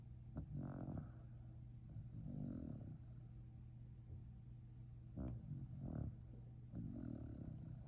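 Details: Sleeping Shiba Inu snoring: rough, breathy low snores come in short bursts about every one and a half to two seconds, some with a sharp catch at the start, over a steady low indoor hum.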